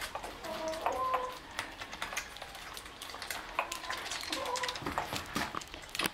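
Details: White Shih Tzu puppies, one month and 28 days old, with their mother at milk time on 05/08/2020 indoors; short high squeaky whines in two bursts over steady clicking, lapping and clattering feeding noises.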